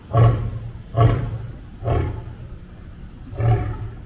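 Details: Lion encountering another lion, delivering four powerful low grunts, spaced somewhat irregularly about a second apart, each starting loud and rough and fading into a breathy rumble.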